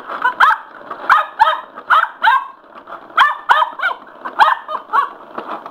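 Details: Excited by a spin mop, Sugar the male Cocker Spaniel lets out bursts of shrill yips in pairs and short runs, separated by brief gaps, with the mop's whirring and clatter underneath.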